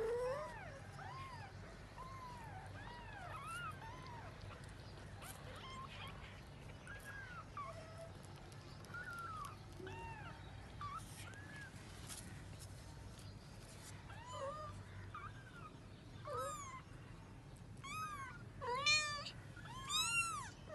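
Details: Cat searching for her kittens: many short, arched, squeaky mews overlap in irregular bursts, some higher and thinner, thickening into a dense cluster of rapid calls near the end over a faint low hum.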